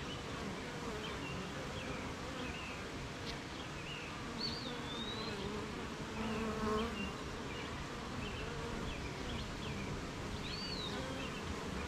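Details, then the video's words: Rainy-morning beehive with honey bees at work, set among gardens, farms and fields. A continuous deep hum of many bees runs throughout, with short high bird chirps and whistles scattered across it. "Beehive RainyMorning"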